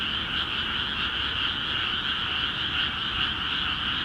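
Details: Many frogs calling vigorously in newly flooded rice paddies of Akiha Ward, Japan: a dense, unbroken chorus of overlapping croaks, pulsing about two to three times per second, with a steady two-toned trill and no other clear sounds.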